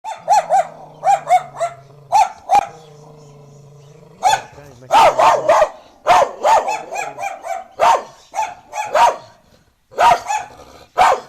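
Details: Street dogs barking in quick bursts, sharp yelping barks repeated in clusters with short gaps, a lower droning tone underneath during the first few seconds.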